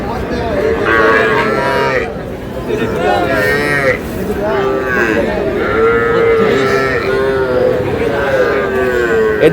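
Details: Young Sahiwal calves, bulls and heifers, bought by a farmer from Shariatpur on 11 August, moo again and again; several overlapping, wavering calls follow one another every couple of seconds amid a murmur of voices and crowd noise.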